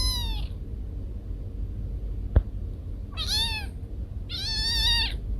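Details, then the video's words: Pet cats Kiko and Koko meowing at home: three strained, wavering meows, the last two drawn out and insistent, with a single sharp click between them over steady low background noise. "Cat sounds to scare mice away"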